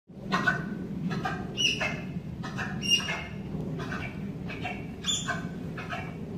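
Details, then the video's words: Tapirs Yuna and Baku at Point Defiance Zoo & Aquarium, courting in February: a run of short, high squeaky chirps and squeals in uneven bursts, roughly every second, over a steady low rumbling background. "What tapir love sounds like..."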